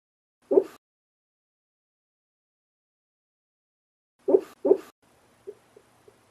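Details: A Shar Pei shaking while having strange dreams gives short, muffled huffs and soft woofs, with faint small sounds in between.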